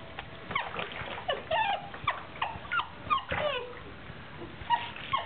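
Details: A 9-week-old Basset Hound puppy gives a string of high, wavering whimpers and whines while being given a bath.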